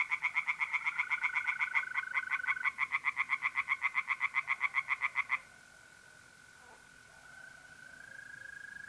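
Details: Pond tree frogs calling at night in mid-April, North-East Italy, a fast steady train of rasping pulses for five seconds, then stopping, leaving the continuous thin trill of mole crickets.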